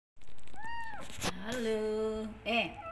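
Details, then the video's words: Kitten loudly meowing to call its mother: one clear arched, rising-then-falling meow, followed by a woman's voice talking over a lower, drawn-out cry indoors. "Anak Kucing Frangky Mengeong Dengan Keras Memanggil ibu kucing"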